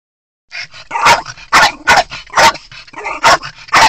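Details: Twelve-year-old Miniature Pinscher named Choco, which hates other dogs, going crazy after seeing two other dogs: a run of sharp, loud barks about every half second, mixed with quicker softer yips between them.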